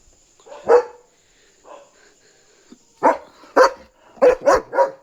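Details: German Shepherd barking at night on guard, alerting that a dog is outside: one sharp bark, a pause with faint sounds, then a fast run of five loud barks in the final two seconds.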